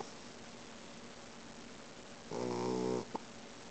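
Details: Sleeping Boxer puppy letting out one loud, buzzy snore that lasts about half a second. A short click follows, over quiet indoor background hiss.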